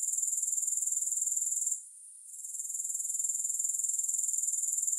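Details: Grasshoppers in a long recording without music: a high, hissing insect trill pulsing steadily about four times a second, broken by a short hush near the two-second mark before the chorus swells back.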